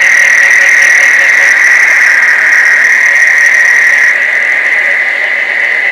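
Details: Frogs massed for mating during summer rains at Placencia, Belize, give a loud, continuous shrill chorus. Fainter pulsing undertones run beneath the chorus, and it stops abruptly at the end.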